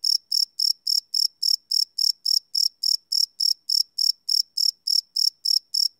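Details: Crickets chirping after dark, live field recording on a Sony PCM D100: bright, high-pitched chirps evenly spaced, about twenty in six seconds, nothing else audible.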